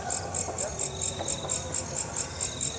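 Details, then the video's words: Katydid known locally as walang kekek, on the fence of a home yard, giving evenly spaced high metallic chirps, roughly four each second, with soft background rumble. "Suara Asli Walang Kecek"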